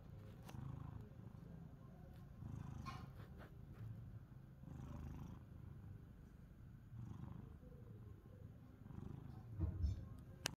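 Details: Pet cats Pani and Chester seeking affection: steady low purring that rises and falls in breathing cycles roughly every two seconds, with light rustling and a couple of small clicks.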